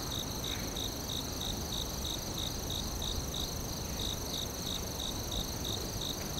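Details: Forest cricket chirping in fast regular bursts of high pulses, with a short break near the middle, beneath a steady high whine and broad low rumble.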